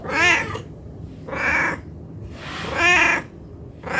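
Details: Hungry domestic cat meowing for food: four loud, harmonic meows about a second apart, each rising then falling, with quiet gaps between them.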